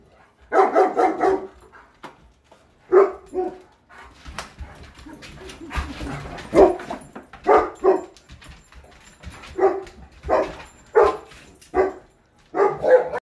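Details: Playful bouts between a Greater Swiss Mountain Dog and a Mastiff, two goofy dogs continuing their games indoors. Gruff, mid-pitched barks and growly yelps come in bursts every one to two seconds, with scuffling sounds in the quieter gaps.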